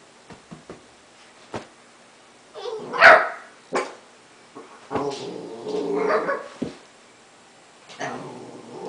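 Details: Tenji, an 11-week-old Basenji puppy, playing around on his first day home; scattered short clicks and taps, then a sharp yelp-like cry near three seconds and a longer throaty grumbling vocalization mid-clip.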